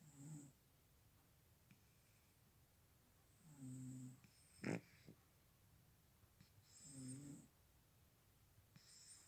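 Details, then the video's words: Cat asleep and snoring, giving three quiet, low, husky breath sounds spaced about three seconds apart, with faint clicks and hiss between them. "Кот храпит!"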